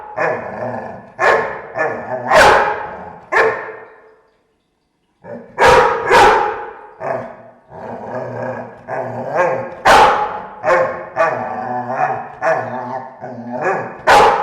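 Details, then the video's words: Several dogs growling indoors in a room: rough, rumbling growls that swell into sharp barking bursts, repeated at uneven intervals of one to two seconds, with one pause of about a second near the start. "Dogs growling, room/ Warczenie psów, pomieszczenie"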